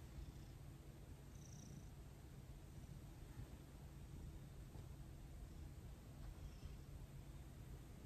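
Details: Domestic cat purring while receiving a gentle massage: a low, continuous rumbling purr held steadily throughout, soft and even, with faint rustling of hands on fur.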